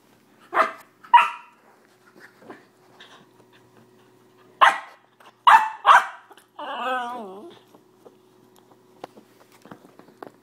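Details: A dog named Jesse, afraid of cranberry juice, indoors: sharp single barks in two bursts, then a brief wavering whine-like call, with quiet gaps and small room noises.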